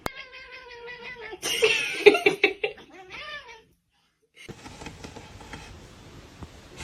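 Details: Kitten meowing: a drawn-out harmonic meow opens, then a burst of louder, broken cries mixed with people laughing, a short silence, and closing noisy household rustle.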